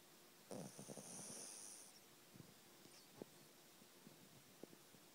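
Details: Heidi, a puppy, snoring while asleep: soft, irregular breathy snores and snorts with brief clicks, a high whistling tone early on, over steady room hiss.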